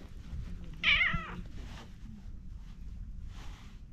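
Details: Orange tabby cat at a pondside, pleased to be stroked, gives one short bright meow that bends up and then down. Quiet outdoor background follows, with soft rustling.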